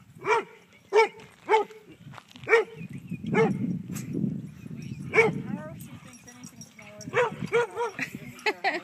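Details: Kaido, a dog at the dog park with Maybrie and a yellow lab, barks meaning chase me; loud clipped barks at under-second intervals, broken by a stretch of people talking, then a fast cluster of barks.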